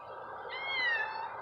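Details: Domestic cat meowing on the cats' first time outdoors: one drawn-out, tonal meow that swells, holds and then slides gently downward over about a second, above a steady outdoor hiss.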